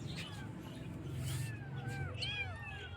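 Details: Young kittens meowing in the morning, several short, overlapping high cries curving up and down in the second half, partly buried under a loud, low continuous hum.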